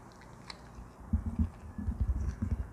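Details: Baby Arctic fox kept indoors, fed a mix of dog and cat food and cooked ground duck in the evening, eating intently; quiet at first, then soft low crunching bites in irregular bursts a few tenths of a second apart.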